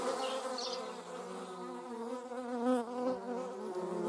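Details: Airborne German wasp, recorded where paper wasps also fly: a close, wavering buzz that bends up and down in pitch over four seconds, with a faint high bird note near the start.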